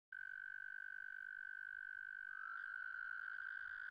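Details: Male American toad (Bufo americanus) singing its mating song with an inflated air sac. It gives a steady, sweet, high musical trill held for four seconds, and a second toad's trill joins faintly near the end.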